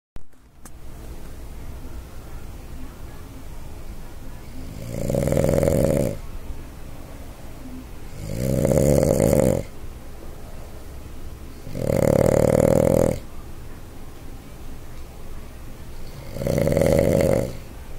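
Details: Sleeping Boston Terrier snoring loudly indoors, four rasping, rumbling snores about one second long, spaced roughly every three and a half to four seconds, with quiet breathing between them.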